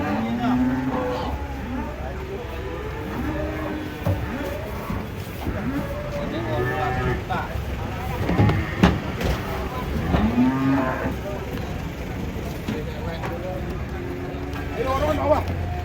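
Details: Cattle being unloaded from a truck, giving low, drawn-out moos with harmonic tones, some bending up and down, amid steady human voices, shouting and a background engine rumble.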